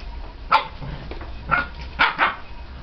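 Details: Bearded Collie puppies playing between a sandbox and a pool with balls; four short, sharp yipping barks come in quick bursts over about two seconds against a low background rumble.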